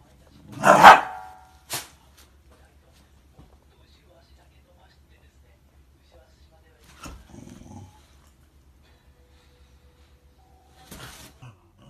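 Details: One of two Shiba Inus gives a sharp, loud bark, then a shorter yip, followed by softer grumbles, apparently objecting to being touched by the other's paw.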